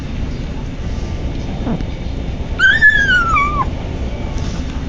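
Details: ['Patches, a male kitten on his first day with his new owner, gives a single high drawn-out mew while eating that slides gradually downward, with faint household hum underneath.']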